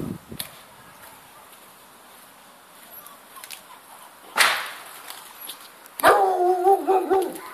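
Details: Dogo Argentino and Cane Corso mix puppy, mostly quiet at first, then a sudden rustling burst, followed by a brief tonal, wavering whine lasting about a second and a half.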